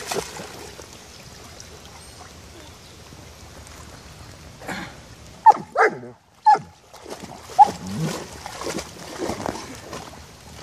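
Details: German Shepherd named Génie playing in a puddle, giving a few short, sharp barks in the middle amid splashing water and scattered noise.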